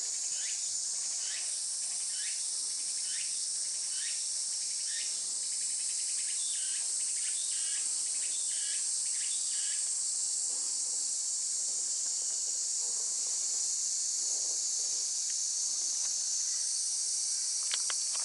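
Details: Tsukutsukuboshi cicada recorded 23 August 2020 at about 11:12 in the morning: continuous piercing high whine with rapid pulsed bursts in the first half that fade out, leaving the steady shrill chorus.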